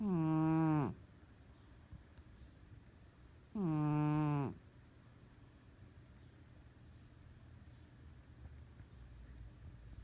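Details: Pet cat, asleep and dreaming, gives two loud, reedy snores close together at the start, each with a falling tail, followed by several seconds of near silence in a small room.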